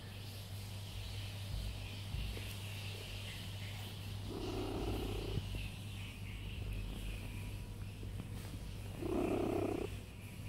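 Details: Cat lying down and purring, the rumble soft and low at first, then two clearer swells of purring a few seconds apart, over a constant low electrical hum and a hissy background.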